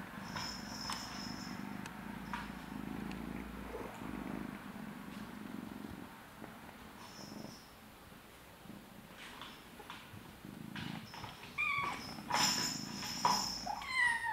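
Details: A blue British Shorthair kitten purring with a low, steady rumble while kittens play, with some rustling and clicks near the end.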